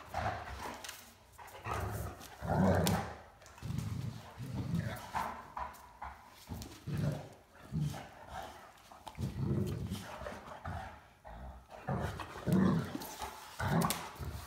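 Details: Great Dane named Mikey playing hide and seek with a puppy, Ellie, around a coffee table he no longer fits under; deep rumbling grumbles and low barks come in bursts every second or so, with faint human voices.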